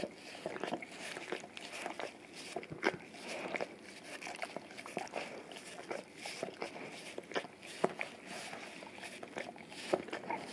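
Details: Male English cream golden retriever cleaning his tongue and breath on a peanut-butter-coated Orapup brush taped to tile indoors; steady moist lapping with crisp tongue clicks several times a second, separated by brief quieter pauses.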